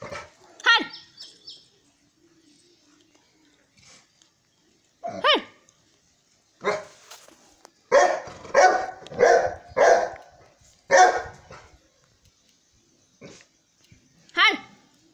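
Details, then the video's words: Saint Bernard dog Sultan: scattered single yelps and barks with long quiet gaps, then a quick run of five or six heavy barks, followed by a lone bark and a final high yelp. "Saint Bernard sultan"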